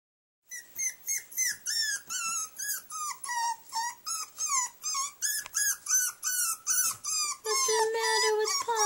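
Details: Young puppy crying after being locked in a cage for the night: rapid high whining yelps, each falling in pitch, about three per second, ending in a long steady whine.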